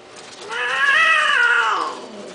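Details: Domestic cat giving a single long, drawn-out wailing meow lasting about a second and a half, rising in pitch, holding steady, then sliding down and fading, rich in harmonics, with a quiet background.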